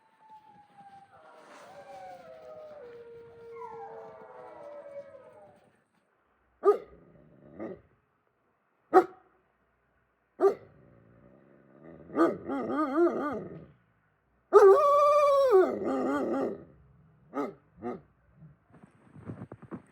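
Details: Wolfdog at Wolfdog Forest in snow-covered Hokkaido, Japan, kept in an enclosure: a long howl sliding downward in pitch opens, followed by short sharp barks and yips, then a louder wavering howl and more brief yelps.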